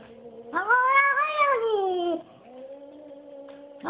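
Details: Persian chinchilla cat telling off a blue Persian cat before a fight, making talking-like vocalizations: a low steady tone, then a loud drawn-out harmonic wail rising and falling, followed by a lower sustained moan ending in a rising note.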